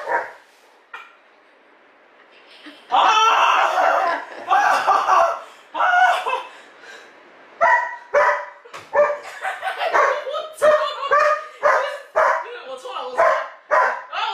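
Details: Alpha, a pet Border Collie, barks at home while its owner teases and provokes it, trying to join its play. A quiet start gives way to loud, clustered bark bursts repeating irregularly, with people talking and laughing over them.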